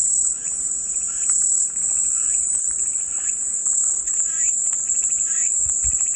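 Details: Relaxing white-noise cicada sound: a constant piercing buzz at high pitch, unvarying in loudness, with quiet scattered chirps and a brief low thump near the end.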